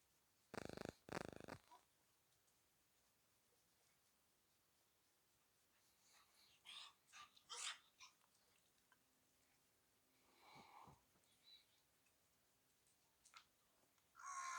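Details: Mischievous, friendly Shiba Inu kept near Kanahama, Aomori City, Aomori Prefecture, Japan, sneezing after having its head and neck stroked and scratching fleas from its neck with its left hind leg: two loud, harsh bursts open the recording, then softer scattered rustles and snorts.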